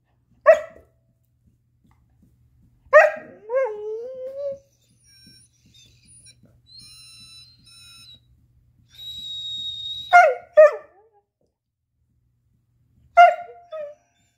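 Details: Chaco, a black female Lab-Coonhound mix born in 2019, trying indoors to free her ball: sharp single barks spaced several seconds apart, a drawn-out rising whine, and a thin high steady whistle tone in the middle.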